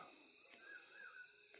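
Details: Crickets at night in the forest of Rajaji National Park, India, during Navratri. Steady, high, shimmering trills hold on continuously, with a faint whistled tone drifting underneath.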